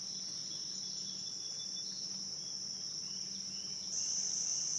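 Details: A steady shrill cicada chorus by the Licking River at Morning View, recorded between dusk and dawn, grows slightly louder in the last second beneath a faint low hum.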